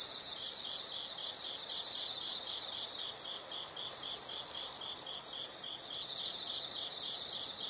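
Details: Chorus of insects: short bursts of loud high trilling, each under a second long, separated by softer rhythmic pulsed chirps at about four per second, with quiet hiss beneath.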